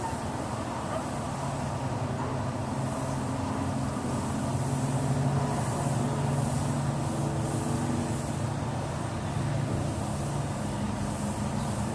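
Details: Constant, loud, rumbling engine and traffic noise fills the whole stretch, with no animal voice standing out.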